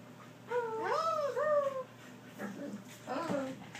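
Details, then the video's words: Border Collie 'talking' indoors: two drawn-out, whine-like tones, each wavering up and then sliding down, in the first two seconds. Softer, shorter murmurs follow in a quiet room. "border collie talking laughing"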